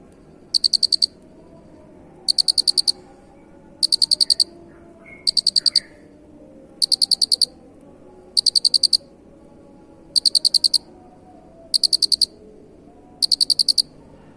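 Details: Cricket, a recording for training songbirds, chirping in short bursts of about six rapid pulses, high and ringing, repeated roughly every one and a half seconds with steady spacing over a faint low background hum.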